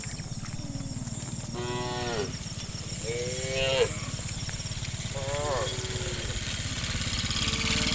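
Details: Tame cows in a herd of dozens heading through forest towards the farm pen in the afternoon, giving three short moos about a second and a half apart amid constant rumble and high hiss.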